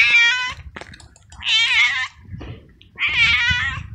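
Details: A frightened, rain-soaked stray tomcat on the street, suffering from the cold, gives three long, loud, quavering meows roughly every one and a half seconds, with low rumbling noise beneath.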